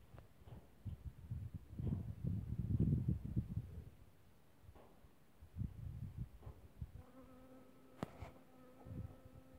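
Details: Honey bees on sweet violets, recorded 4 March 2024, buzz low and unevenly as they fly close, ending in a steady, humming drone.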